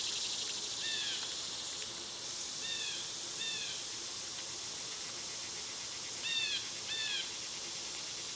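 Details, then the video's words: Cicadas singing in summer, when they are loud: a constant high droning hiss runs throughout, while a bird gives scattered quick downslurred chirps, some in pairs, around the first, third and sixth seconds. "Cicada sounds"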